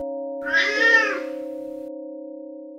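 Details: A cat out on a walk outdoors gives a single drawn-out meow, rising then falling over just under a second, while steady background music tones play throughout.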